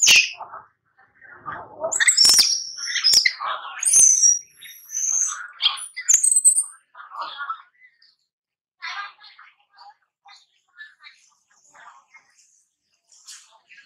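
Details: A playing baby monkey cries in shrill, piercing squeals and short chirps, loudest between two and six seconds, then trailing into soft, scattered whimpers separated by silence.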